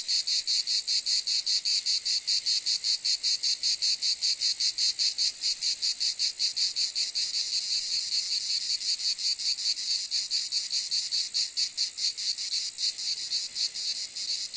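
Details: Continuous cicada chorus-like rasping, a dense high buzz chopped into rapid regular pulses, slightly softening and blurring in the second half.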